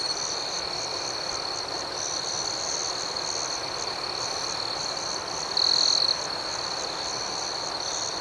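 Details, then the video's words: Crickets singing through the night in an unbroken high, pulsating chorus; one louder half-second trill from a closer insect stands out toward the end. "Soothing Cricket Sounds"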